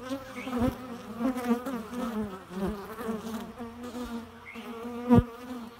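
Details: Bee droning nonstop in a low, wavering hum with strong overtones. Loudness pulses gently and a sharp tap is heard near the fifth second.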